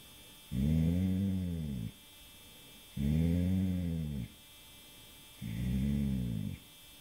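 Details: Sleeping dog Rudy snores in the dark, roughly a week before his death: three deep, buzzing inhalations of over a second each, spaced about two and a half seconds apart, the room otherwise quiet.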